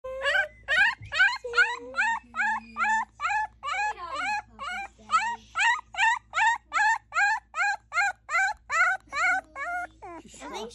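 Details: A Basset Hound puppy in Mississippi howls in a rapid string of high, bent yelps, about two each second.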